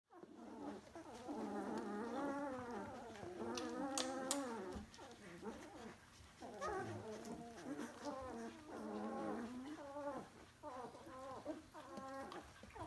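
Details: Two-week-old DK puppy litter from vom Kleinen Fluss, A litter; several puppies whine and squeal together in overlapping, wavering high cries with rising and falling harmonics, nearly continuous with brief pauses.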